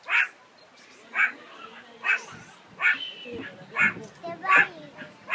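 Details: A meerkat at Chai Kef in Rishon LeZion gives short, harsh, bark-like calls, repeated roughly once a second.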